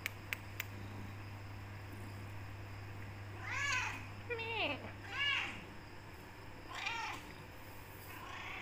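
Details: Becky, a black tortoiseshell Persian cat, meows insistently at her owner to be let out of the room and given food; several arched, harmonic-rich meows, one drawn out and falling, over a constant low hum.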